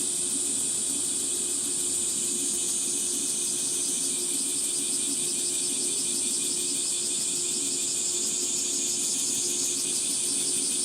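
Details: A summer chorus of cicadas in Gifu Prefecture Hyakunen Park, Japan, recorded mid-morning at 37°C under sunlight filtering through trees; a continuous shrill, throbbing drone with rapid pulsing texture, over a faint constant low hum.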